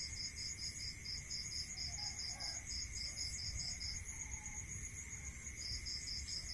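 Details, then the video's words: Crickets calling at night in a rural area: a bright high chirp pulsed about four times a second in bursts, over a steady continuous high trill from other insects and a low hum underneath. "Listening to Cricket Sound Natural meditation music"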